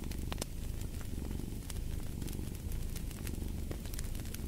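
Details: Short stretch of a cat's deep purr, pulsing gently in soft waves, with crackling fireplace pops layered over the low drone.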